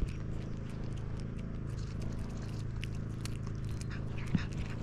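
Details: Mittens, a pet cat, purring like a motor near the end of salmon season, just after being offered a big piece of food; a continuous low, throbbing rumble runs throughout, with faint light clicks above it.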